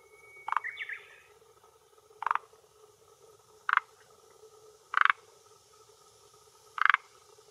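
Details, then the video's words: Male forest green tree frog (Rhacophorus arboreus) at a hillside pond shore in Japan, early June 2021 late afternoon, calling for territory and females; single short croaks spaced about every one to two seconds, with a brief whistled bird note. "Croaking Male of Forest Green Tree Frog"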